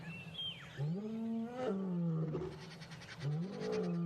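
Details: Adult male lion at Djuma Dam at dawn, around 5 a.m., after feeding on a buffalo kill; a territorial roar that may help locate his pride. Deep, moaning grunts slide upward and then fall, with birds whistling high above.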